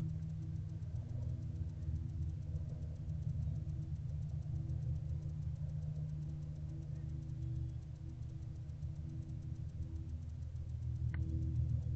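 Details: A steady low rumbling hum, like an idling engine, fills the recording, with one sharp click near the end and no animal voices.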